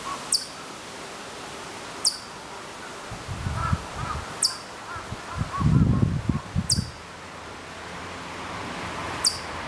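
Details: Distant Hokkaido chipmunk calling at Maruyama, Sapporo, Hokkaido, in September 2014; single thin, high chirps spaced roughly two seconds apart, with low rumbling handling or wind noise in the middle.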